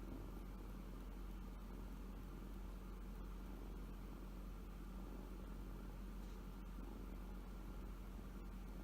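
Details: Sleeping kitten, its left front paw pad showing, purrs from happiness: a continuous deep throbbing rumble held evenly for the whole stretch, over a quiet background hum.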